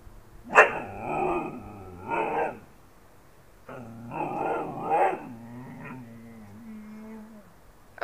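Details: A pet Siberian husky "talking": drawn-out, moaning howl-like vocal phrases in several bursts, some rising and wavering, with a brief sharp sound at the start and end.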